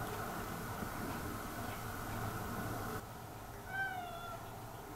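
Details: Cat among the domestic and stray cats around a house in spring, giving a single short harmonic meow that rises slightly then falls, heard near the end over a steady broadband mechanical hum.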